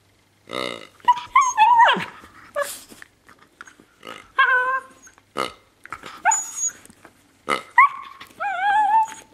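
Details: A 7-month-old female Miniature Pinscher, playing with her toy pig, makes a run of whiny yips, grumbles and rising squeaky whimpers in short bursts.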